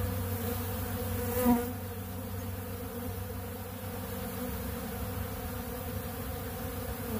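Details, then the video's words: A swarm of honeybees feeds on ultra bee pollen at a big blue pollen feeder, producing an unbroken layered buzzing drone; a short brighter swell and tap come around one and a half seconds in. "Therapeutic Treatment Sounds Of The Honeybees"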